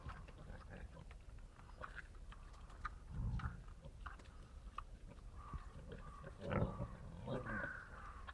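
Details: Wild boar (Sus scrofa) feeding give low, rough grunts and snorts at irregular intervals, with scattered rustling.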